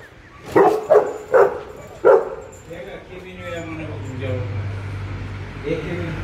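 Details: Efe the Rottweiler, at play with a bone during light training, gives four sharp barks in quick succession, then quieter huffing as a steady low hum and a man calling him continue.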